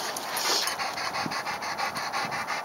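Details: Einstein, a retriever at play outdoors the day after Christmas 2010, pants hard in quick, even breaths, about four to five per second, airy and hissing, with light background noise and no voices.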